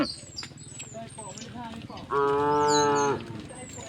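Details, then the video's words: Cow walking through a village toward the fields gives a single steady, harmonic moo lasting about a second, preceded by quieter lowing and faint bird chirps and whistles in the background. "the sound of cows mooing"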